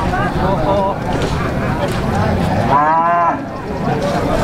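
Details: At the Plaosan cattle market in Magetan, East Java, Indonesia, a calf gives one brief, bending moo of under a second amid steady market chatter and crowd noise.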